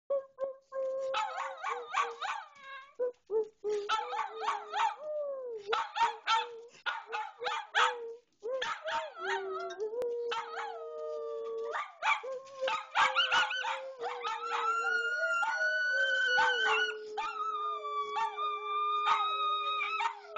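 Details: Several pet miniature schnauzers howling along to Jingle Bells: drawn-out, wavering howls that slide up and down, with rising and falling tones and sustained notes layered over the tune, growing fuller toward the end.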